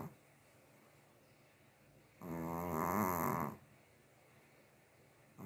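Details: A pet Chihuahua asleep gives a single rasping snore of a little over a second midway through, wavering buzzy tone with bright overtones, surrounded by near silence.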